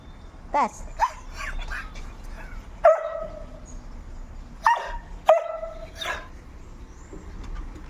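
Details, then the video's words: Noisy dog giving scattered short barks and yips at irregular intervals among background noise, with people speaking nearby. "Mahilig mag ingay na aso"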